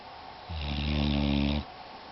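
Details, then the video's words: Shadow, a female pit bull, snoring in her sleep indoors: one long, steady rumbling snore lasting about a second, low and buzzy with stacked harmonic tones and a breathy hiss above. "pittbull snoring in her sleep"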